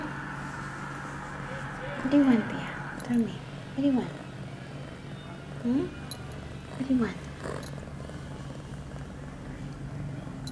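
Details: Five short, rising-then-falling meows spaced one to two seconds apart from Pia, an 8-month-old female cat on heat, filmed September 23, 2011, two hours after taking her first birth control pill; a quiet pause follows.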